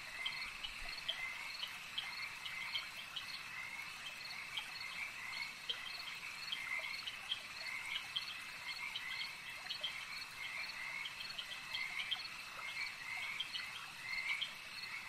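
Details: Frogs calling at a lake, a dense overlapping chorus of rapid pulsed croaks held steady at high pitch, layered over a constant shrill insect-like drone with no pauses throughout.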